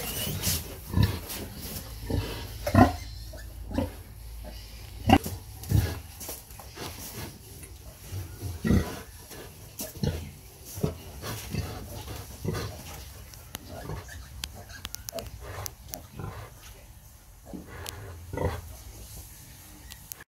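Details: Sow feeding her piglets, a long run of short, low, clipped grunts repeated irregularly every second or so, some louder than others, against a low background drone.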